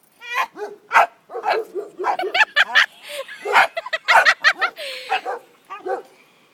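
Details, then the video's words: Pet dog named Kisses barking at a small turtle: a rapid run of sharp, high yipping barks in irregular bursts, with a person talking over and between them. "kisses barking at a turtle"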